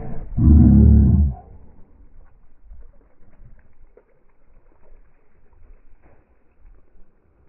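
A Pembroke Welsh Corgi gives one short, deep, rumbling growl, then falls quiet.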